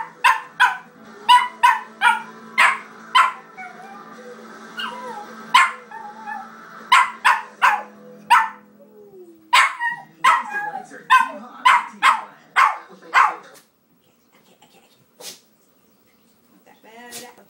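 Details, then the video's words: Paco, a pet dog, barking each time the CSI television theme comes on: loud sharp barks repeated roughly every half second for thirteen seconds over the theme music, then a few scattered barks and quieter sounds. "Dog freaks out at CSI theme"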